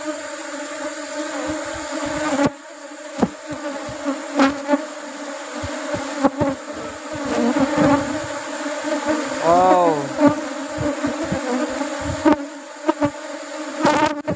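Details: Asian honey bees buzzing around an opened colony at a honey harvest timed to rubber tree flowering: a constant low hum with many sharp clicks and knocks, and one close bee's swooping whine midway.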